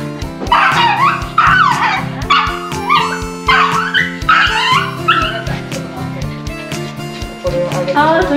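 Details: A pug and a Yorkshire terrier at a dog run in early autumn, late in the day, barking in protest because their favourite treats were left at home: rapid bursts of shrill yaps and whiny barks, with music playing throughout.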